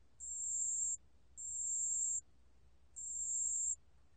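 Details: Pale bell cricket giving three clear, high-pitched ringing trills, each close to a second long, separated by short and slightly uneven pauses, with nothing else audible behind them.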